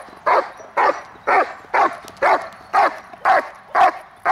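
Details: Protection work on the hold and bark, May 19, 2020, by Hunter, grandson of Congo Vikar: nine sharp, evenly spaced barks, about two per second, each short and mid-pitched against a quiet background.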